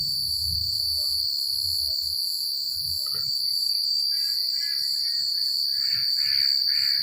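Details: On a quiet country night, a chorus of crickets fills the air with a steady, high-pitched ringing trill, with wind and rustling leaves, and softer scattered chirps rising faintly toward the end.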